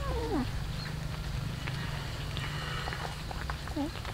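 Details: Morning feeding of cats eating rice with fish: a short, bending meow opens the recording and a second brief meow comes near the end, between steady clicks of chewing over a low, constant hum.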